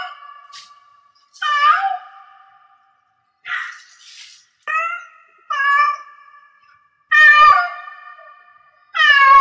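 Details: Cat in heat giving a run of varied meows, some short and clipped, others drawn-out and wailing, repeated about every second or two, getting louder toward the end.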